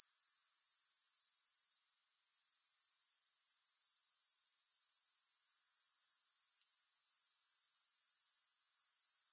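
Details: Grasshoppers with no music: a thin, high, fast-pulsing trill that falls quiet for about a second early on, then swells back to a steady shimmering chorus.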